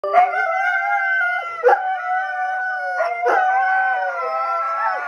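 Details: Three pet greyhounds howl together in response to police sirens on a television show, long sustained tones with several overlapping pitches, sliding slightly and broken by short breaths around 1.6 and 3.2 seconds.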